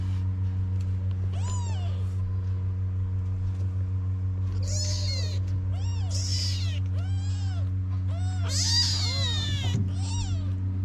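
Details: Several kittens of a stray cat family in Morocco cry for their mother to come and nurse them: high, arched mewing calls with rich overtones, overlapping and repeated in quick succession, over a steady low electrical hum.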